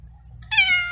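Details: Feral little cat abandoned in a garden lets out a sudden high, strained meow that begins sharply and holds steady, almost a scream, cut off within half a second.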